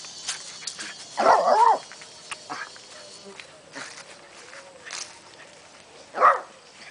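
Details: Canela, a female pet dog, vocalizes in her own way to show she is eager to go for a walk: a warbling, mid-pitched vocal burst lasting about half a second, then a shorter sound near the end, with a person talking quietly between.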